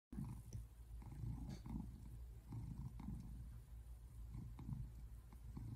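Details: American Shorthair tabby cat purring while relaxing on a couch indoors, recorded February 8, 2024; a steady low rumble swells and fades in soft rhythmic pulses with each breath, close to the microphone.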